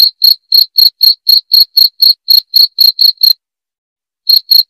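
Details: Cricket sound meant to scare off rats: a run of sharp, high chirps at about four per second, then a pause of about a second before two more chirps resume.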